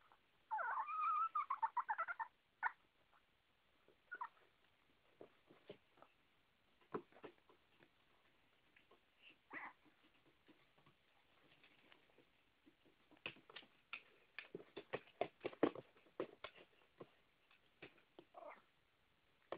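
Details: Female Chihuahua at night, about 11pm, wanting back onto the bed where she sleeps with her owner while the owner is busy. It opens with a wavering, high whine lasting about two seconds, followed by scattered then rapid scratching and tapping clicks.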